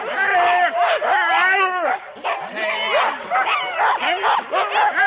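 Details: Husky sled teams of four dogs at the start line, Rendlesham, January 2016, on analogue cassette: wavering, upward-sweeping yelps and whines pile over one another, mixed with human speech.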